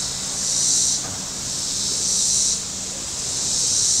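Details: Shore cicadas at Table Rock Lake, southern Missouri, on a hot Saturday, giving a high, hissing rattle that rises and falls in swells about every second and a half; other sounds are faint beneath it.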